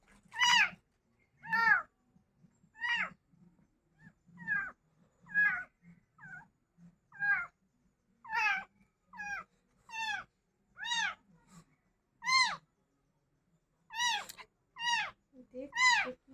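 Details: Crying cat giving clear, rising-then-falling meows, about one every second, some short and some drawn out, with a low murmur of voices in the background.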